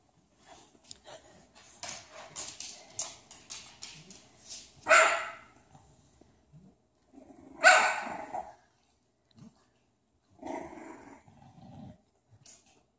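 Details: Bulldog puppies yipping and barking: a run of short soft yaps followed by three louder sharp barks about three seconds apart, then quieter whimpering.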